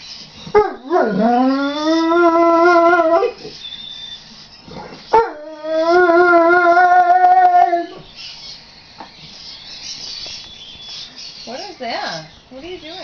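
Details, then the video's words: Neapolitan Mastiff singing: two long howls with a sliding rise then steady tone, each about three seconds, followed by short wavering yips near the end. "Neo Mastiff singing"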